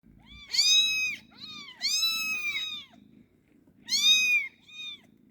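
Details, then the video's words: Kitten meowing: four high, clear, slightly arched meows, two long and two short, over a soft, steady low purr. "Gerçek Kedi Sesi Yavru Kedi Sesi"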